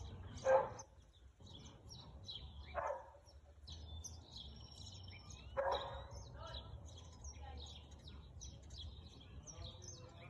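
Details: Husky barking, recorded 4/2/2022 at 2:57 pm: three short, loud barks, spaced two to three seconds apart, then a quieter stretch, while birds chirp and twitter steadily in the background.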